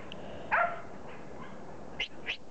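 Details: Border Collie puppy, 15 weeks old, offspring of Kim and Indi. It gives a single short, harmonic bark, followed by two faint, high yelps over a quiet indoor background.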